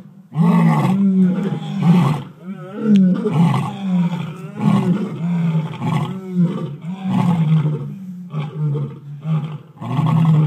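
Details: Several lions and lionesses roar together in deep, throaty bursts, typical territorial roars, with one lion's roar setting the others off.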